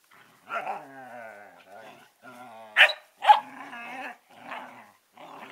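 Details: Collie puppies Norris and Amica, 11 weeks old: low droning growls with layered harmonics, broken by two sharp yips near the middle, then more grumbling.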